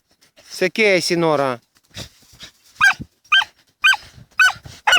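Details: Dachshunds Tasya and Kessi digging in a field in autumn 2015; a woman speaks briefly first, then a few sharp high barks follow at half-second intervals.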